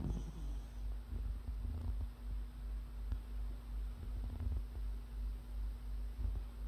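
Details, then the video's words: Sleeping puppy snoring: soft, low rumbling breaths pulse steadily, roughly two to three per second, with a few faint clicks over a constant electrical hum. "강아지 자면서 코고는영상"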